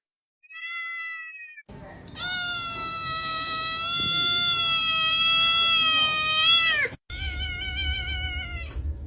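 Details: Kitten meowing loudly: a short high cry, then a long sustained bright meow of several seconds with a wavering tone, followed after a brief break by another strained meow over a low background hum.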